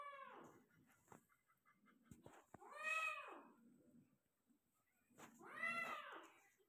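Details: Persian cat meowing while giving birth to a litter of five kittens indoors: three drawn-out, arching meows rich in harmonics, spaced about two and a half seconds apart, with soft rustling and a couple of sharp knocks between them.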